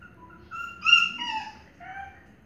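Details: Indoors, a Maltese mother cares for her tiny puppies while thin, high whimpers sound out. The squeaky, wavering notes come in a short run, rising and falling.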